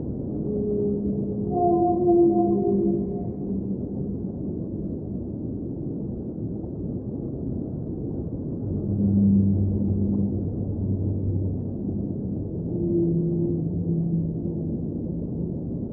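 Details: Underwater whale song of several long, low moaning tones, some with higher harmonics. Groups of calls return roughly every few seconds over a constant deep rumble of water.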